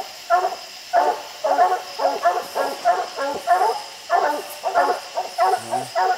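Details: Hunting dogs barking at the base of a tree holding treed raccoons on a steep, slick hillside; rapid harmonic barks in bursts, roughly one and a half per second, with a few overlapping voices.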